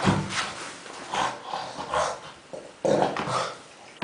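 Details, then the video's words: Pig-like snorting grunts from Kuba the dog while playing with tennis balls, a few breathy, growly bursts, one louder grunt near the end, in a small quiet room. "Kuba in heaven of tennis balls making funny sounds"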